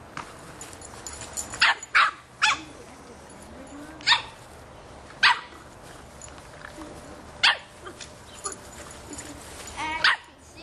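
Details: A 3½-month-old Boston Terrier puppy barks loudly at a soccer ball, sharp, high-pitched yaps in short bursts spaced a second or more apart.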